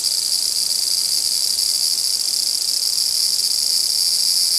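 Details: Large brown cicadas in a dispute, giving a loud, continuous, sizzling hiss that stays steady throughout with no pauses or change in pitch.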